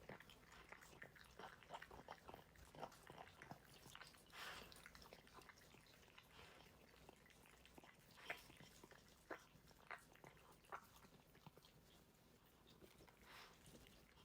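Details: A dog's mealtime, recorded uncut: steady, quiet crunching and clicking as it chews its food, with a few brighter crisp bites and short rustling bursts over a low, even background.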